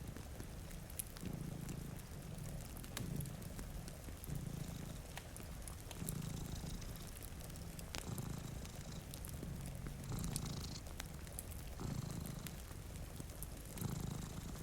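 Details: Two cats asleep near a cozy fire and a rain-covered window keep up a low rumbling purr in repeated pulses, overlaid by popping fire crackles and a constant patter of rain.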